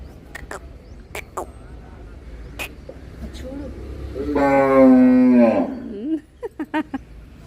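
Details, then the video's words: Cow lying in a shed near a gate, giving one loud drawn-out moo of about one and a half seconds, a harmonic tone that falls slightly and then rises at the end, with voices speaking Telugu before and after. "creazy sound of cow || ఈ ఆవు చూడండీ నేను అరవమంటే ఎలా అరుస్తుందో"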